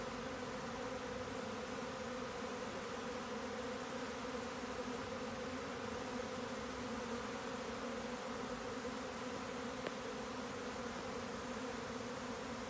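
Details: Steady roar of a honeybee swarm, a full, level buzz with layered humming tones, broken only by a faint tick near the ten-second mark.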